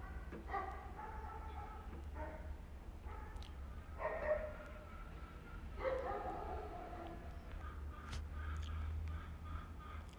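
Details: Street-living cats in Istanbul, mother grooming her kittens: clear stacked meows at roughly one- to two-second gaps, some drawn out, softer calls toward the end over constant low background rumble.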